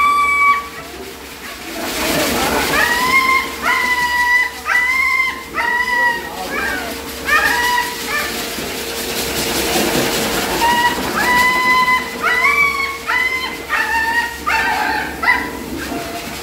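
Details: Raksha, a playful female husky, sings loudly while being bathed: a long run of wavering, yodel-like howled notes, each bending up and down, in bursts with short pauses, over a steady background hum and splashing noise.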